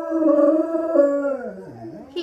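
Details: Diesel the dog howls together with Layla, who is copying his singing; steady overlapping tones for over a second, then a voice dips low and curls upward.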